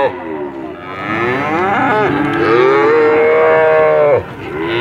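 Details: A very long cattle moo that rises and holds a steady, clear tone for nearly two seconds before cutting off, preceded by lower wavering moos.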